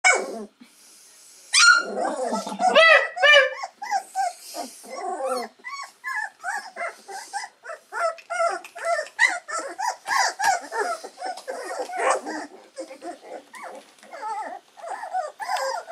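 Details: Three-week-old Labrador Retriever puppies squealing and whimpering together: a dense, overlapping run of short, high, harmonic whines, several each second, with one sharper yelp near the start and the chorus continuing unbroken to the end.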